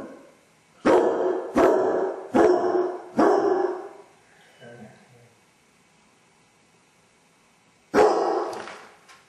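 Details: A Basset Hound with separation anxiety, left alone at home and captured on a hidden camera. Four loud, harsh barks come in quick succession, then a short soft whimper and a pause before one more bark.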